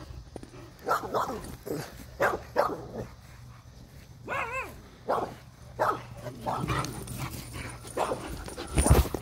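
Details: Kevin, an Irish Wolfhound, running around a yard with the zoomies; deep barks come in a loose series of about eight over nine seconds, with a wavering whine-like tone in the middle.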